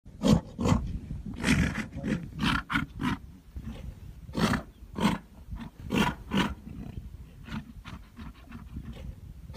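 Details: Tibetan yaks, a white one together with a black one: a run of short, deep, rasping grunts in bursts roughly every half second to a second, with brief quieter gaps between the calls.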